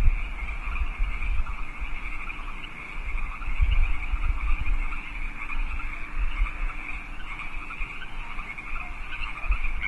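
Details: Many wild frogs calling together after dark in California Park, 8 PM, 15 March 2014; a constant pulsing trill chorus holds steady throughout over a low rumble.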